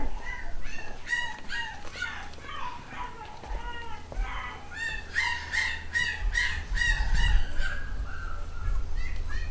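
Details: Several eight-week-old black and white Cockapoo puppies from a home-bred UK litter. They give rapid, uneven series of short squeaky yelps that rise and fall, growing denser and louder midway, over a low background hum.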